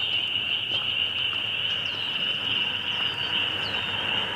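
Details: Spring peepers in a very loud group chorus, a piercing, steady high-pitched trill of overlapping peeps, broken by a few clearer rising peeps from nearer frogs.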